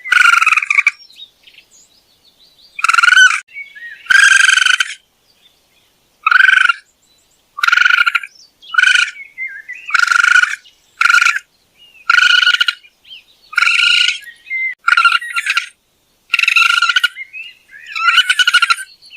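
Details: Raccoon giving a long series of rasping, nasal chirps, each short and rich in overtones, repeated irregularly about every second, with soft high squeaky notes in the gaps and no other noise.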